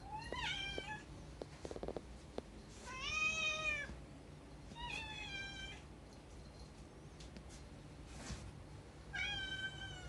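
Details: Rescued domestic cats indoors, described as longing for the outside world, give four clear, drawn-out meows spaced about two to three seconds apart, each harmonic-rich and slightly rising then falling, with soft tapping sounds between calls.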